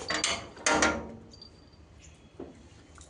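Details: Metal and dishes clatter loudly, then faint kitchen clinks fade into quiet room noise.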